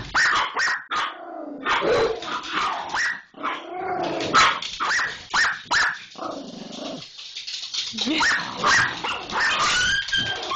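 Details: Pit Bull in a scuffle with an Irish Jack Russell Terrier, barking and growling in rapid harsh bursts with snarls and yelps, then a lower sustained growl; mixed with the second dog's sounds.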